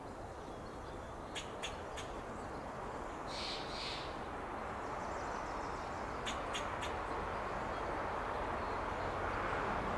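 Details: Fox squirrel foraging on an oak tree in Del Monte Forest, California, giving alarm calls: short sharp clicking barks in two quick clusters of three, with a soft higher bird note between them, against steady background hiss.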